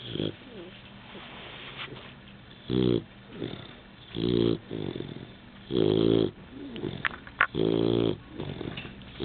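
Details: Young Labrador Retriever, newly adopted, asleep and snoring: rhythmic, buzzy, harmonic rasps on each breath, roughly every one and a half seconds, with quieter wheezing breaths and small clicks between them.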